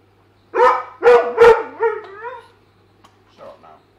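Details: Weimaraner, a pet dog, barking while trying to reach fish in a tank: three loud barks in quick succession slide into wavering, rising whines, with a brief soft yelp near the end.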